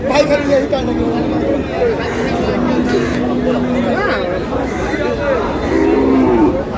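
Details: Lean dairy cows at the Aftabganj cattle market in Nawabganj, Dinajpur, Bangladesh, on 9 August 2026. A low, steady moo is held about a second and a half midway, and another comes near the end, beneath constant crowd chatter and bargaining voices.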